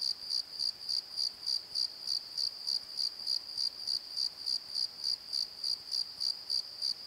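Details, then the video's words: Crickets singing after dark in a valley bottom by a tree: a rapid, regular train of shrill chirps at about three and a half per second, quiet background. "Crickets and Croaks! Pozo Night Tree"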